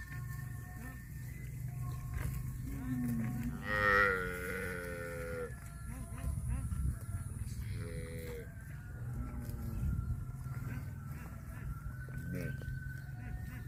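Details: Cattle give a long, wavering moo of nearly two seconds, followed by a shorter call and fainter lowing later, over a constant low hum with faint tonal background sounds.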